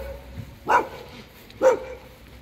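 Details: Alaskan Malamute, angry in the cold rain, lets out two short, deep woofs about a second apart against a background of falling rain.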